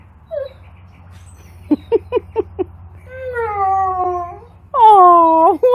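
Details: Alaskan Malamute crying after jumping into a pool and being left alone for a minute: a series of short yips, then drawn-out wavering whines and a loud harmonic-rich howl-like cry, over low hum.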